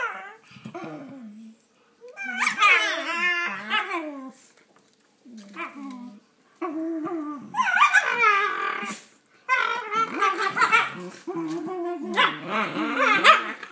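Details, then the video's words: Shiba Inu puppies squabbling over a toy indoors, voicing loud, wavering, harmonic yowls and growly whines in bursts of one to two seconds with short silent gaps, pitch sliding up and down like talking. "Shiba Inu puppies are playing with toys and talking"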